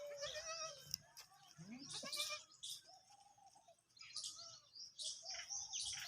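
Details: Desi Sindhi goats, a kid and an adult, give quavering, nasal bleats, the kid's higher and thinner, the adult's lower and fuller. Bright hissing and clattering noises run through the background between calls.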